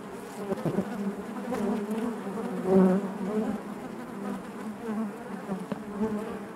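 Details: Constant buzzing of honey bees inside the hive, a rich low hum with faint higher whining tones drifting over it and gentle swells in volume.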